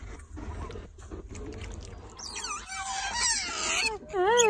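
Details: Pet otter Titi learning to eat water apple, giving high, wavering squeaky chirps that grow louder toward the end, while a man talks in Vietnamese throughout.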